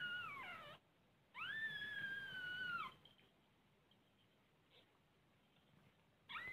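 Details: Mother domestic cat with her kittens, feeling safe: two high, drawn-out meows, the first sliding sharply downward, the second held steady for over a second before dropping, then a third beginning at the end; quiet between calls.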